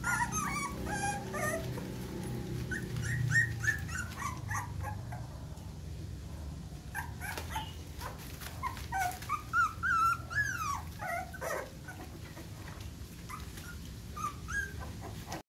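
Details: A newborn litter of Phu Quoc Ridgeback puppies with their mother after birth: many high, squeaky whimpers and yips come in rapid, irregular clusters, some notes rising or falling, over a constant low hum.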